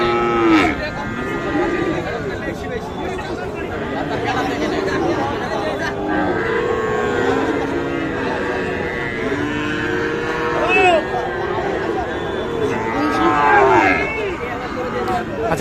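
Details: Sahiwal calves for sale at Ambari market, Parbatipur, Dinajpur, Bangladesh, Friday 3 January 2025: repeated moaning moos, some short and some drawn out, overlap through fifteen seconds amid people talking and crowd noise.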